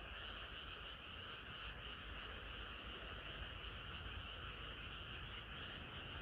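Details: Summer-night frog chorus heard as a continuous, blended drone of many voices with no distinct separate croaks, plus a low rumbling background.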